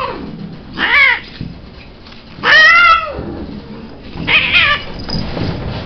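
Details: Cat meowing three times at uneven intervals of roughly two seconds, each call a wavering, harmonic wail; the middle meow is loudest and longest, the last one shorter and fainter.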